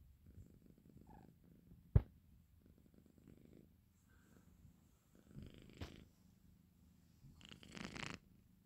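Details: Exotic Shorthair kitten, five months old, sleeping indoors: soft low rhythmic purring snore in repeated pulsing bursts, with a sharp click near two seconds and brief rustling noises later.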